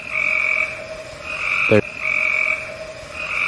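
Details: Frogs calling in a reviewed field recording: steady, high, buzzy trills in long bursts with short gaps, stacked bands of tone, and one loud abrupt click or thump at the middle.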